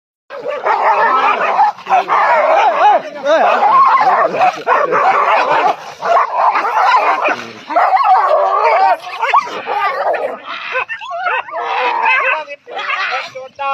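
Dogs snarl, growl and yelp in a dense, continuous scuffle, with a person's voice mixed in.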